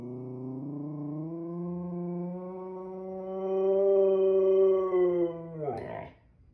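A Siberian Husky holds one sustained, rich howl for about five seconds, rising slightly and growing louder midway. The note then slides down and breaks off into a short, rough huff.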